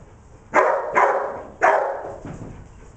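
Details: Three loud, harsh barks in quick succession from Declan, a dog working sheep on 25 September 2011, the last one trailing into a softer, lower bark.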